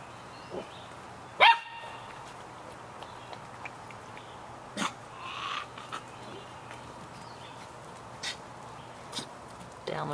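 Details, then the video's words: Samoyed puppies, 51 days old, out in the rain: one sharp, loud, harmonic yap early on, followed by a few faint, scattered yips over a steady hiss of falling rain. "Samoyed Puppies - Yapping in the Rain"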